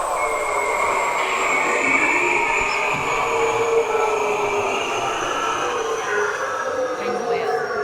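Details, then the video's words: Bearded seal mating call, played to an audience as a guessing game: long, warbling trills that glide slowly downward in pitch, several overlapping sweeps drawn out over about eight seconds. "This is the mating call of the bearded seal, which means if you got excited, now you know where to go."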